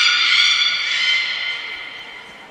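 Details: Belugas Gray, Nana and Mirai training at Port of Nagoya Public Aquarium on 10 February 2024: a loud, steady, trumpet-like harmonic call that slowly fades over two seconds.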